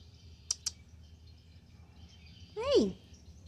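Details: Female pet cat talking back to its owner: one loud, short meow that briefly rises and then slides steeply down, preceded by two sharp clicks over a low steady hum.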